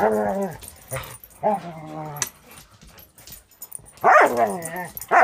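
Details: Play session between two dogs, one a 6-month-old Border Collie mix fostered by a Wisconsin rescue; short growly yowls at the start, a near-silent stretch, then a loud wavering yowl and another cut off at the end.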